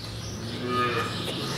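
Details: Group-housed dairy calves on a farm in March 2015 moo and beller at feeding time, a low, drawn-out complaint because they are hungry and waiting to be fed.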